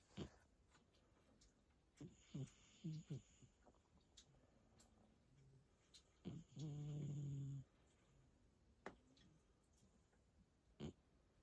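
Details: Two domestic cats snoring while asleep, quiet room with a few soft clicks, then short low snorts and one long, steady, low rumbling snore lasting about a second.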